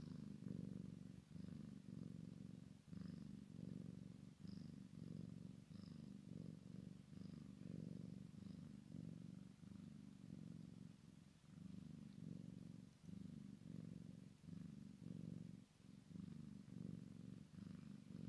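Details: Kitten of Maine Coon x Sphynx mix, playing with mama, keeps up a long deep purr in steady surging pulses, with faint light ticks and squeaks over the rumble.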